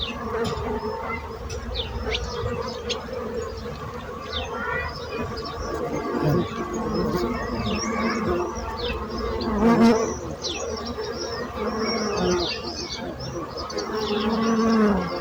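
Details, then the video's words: A long, busy buzzing of bees with a rumbling low undertone and shifting intensity, growing stronger toward the end, mixed with frequent faint high chirps. "So brutzit abelles - Bees sound - Bees buzzing sound effect"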